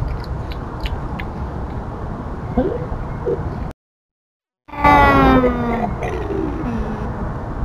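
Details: Tubs the feral cat scolding an intruder; after low background rumble and a couple of short chirps, a loud harmonic-rich yowl begins and sweeps down over several seconds.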